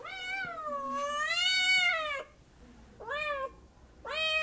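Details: Cat producing one long, drawn-out meow of about two seconds that rises and dips in pitch, followed by two shorter, sharper meows, all strongly harmonic over a faint low hum.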